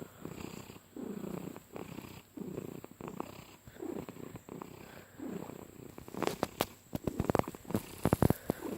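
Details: Domestic cat purring while being petted indoors: a deep, rumbling purr in rhythmic pulses roughly every 0.7 seconds, coarse like a motor, followed by a stretch of clicking and rustling handling noise.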